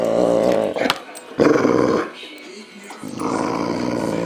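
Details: A male Boxer dog growls at home in a series of rough, throaty rumbles with harmonic bands, broken by short pauses, while a person speaks and laughs in the background.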